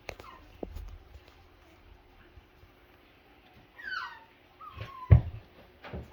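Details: Whimpering five-week-old Double Doodle puppies: a quiet stretch, then a sliding high whine and a sustained flat cry, broken by a thump and faint background voices.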